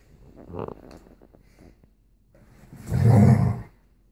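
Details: Alaskan Malamute teasing a pit bull with a toy indoors, the play sounding fiercer than it is: a short rumbling growl, then a loud, deep, rough snarl lasting about a second.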